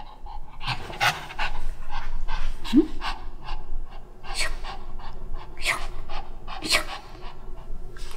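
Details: Jjanga, a black Shih Tzu pet dog kept at home, refusing to wear new clothes in cold winter, pants in quick, rough breaths while a woman talks and coaxes it in Korean, with sharp rustling noises in between.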